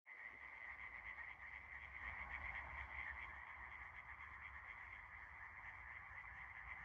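A dense frog chorus of overlapping, rattling croaks that merge into one steady, high-pitched drone.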